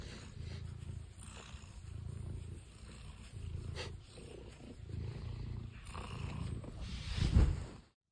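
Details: Tuxedo cat named Stitch, known for flopping over on command, gives a low rumbling purr that swells and fades in even pulses about once a second, ending with a brief rustle before silence.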